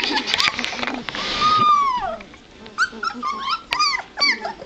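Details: White Shepherd puppies of a Z litter, two and a half weeks old and starting to get around, recorded 9-23-12; high squeaky whines, one long falling cry, then short rising-and-falling squeals, with a little talking at the start.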